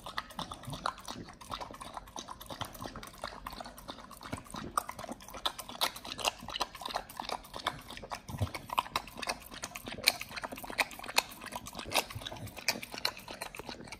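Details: Nomyen, a Pit Bull, eating raw quails on a raw BARF diet: dense, rapid crunching and wet tearing clicks run throughout, with irregular sharp bone snaps over a steady chewing texture.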